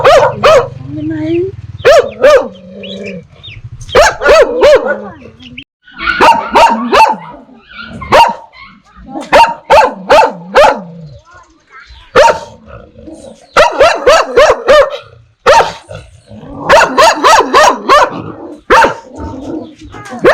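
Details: Dogs barking in dense, irregular volleys of sharp, harmonic-rich yaps, some fast runs and pauses, with voice-like tones between; from a recording of dogs barking fiercely at strangers and puppies barking at familiar people.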